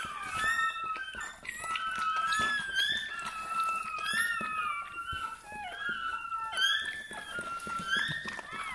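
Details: Bernese Mountain Dog puppy just being born, in a small room: sliding, squeaky whimpers come one after another in wavering tones, mixed with a woman softly speaking French and quiet handling noises.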